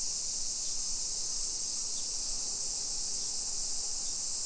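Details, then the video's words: Cicadas singing in a Nisshin hillside residential area, Aichi Prefecture, Japan, on a summer afternoon, 28 July 2021: a dense, constant high-pitched hiss filling the whole stretch, with a few faint clicks. "Summer Cicadas Sounds"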